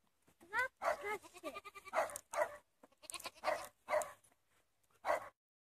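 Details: Goat, recalled as an acrobatic goat, giving short harsh bleats repeated irregularly, about six over five seconds, with faint human voices in the gaps.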